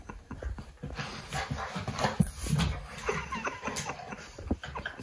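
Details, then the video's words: Fox red Labrador puppy Maverick play fighting with chocolate Labrador Leo: low rumbling growls and short whimpery yips over constant scuffling, pawing and thumping, with a faint high hiss throughout. "Fox Red Labrador Puppy Learns To Play Fight"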